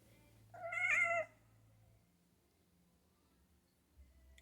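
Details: Kitten named Pumpkin, indoors, chattering at squirrels she sees outside; one short bright wavering call with stacked tones lasting under a second, followed by a quiet room with a low hum.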